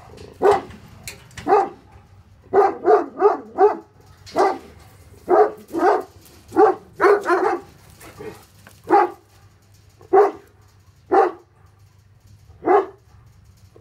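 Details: Hattori Hanzo and Leksi, Tornjak (Bosnian-Croatian sheep dog) livestock guardians, barking at an intruder. Their loud, harsh barks come in irregular bursts, some in quick clusters of three or four, others spaced a second or more apart.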